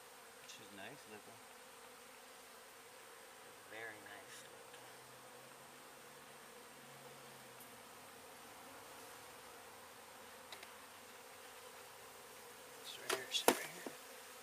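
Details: Swarm of honey bees being relocated from a property in Weslaco, Texas, under cloudy skies; an even, low buzzing murmur runs throughout, with scattered taps and a cluster of sharp clattering handling noises toward the end.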